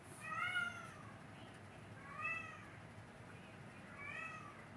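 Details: A Sphynx cat, kicked out of the room, gives whiny protest cries as she goes downstairs: three drawn-out, wavering wails spaced about two seconds apart that fade with distance, alongside a barking dog.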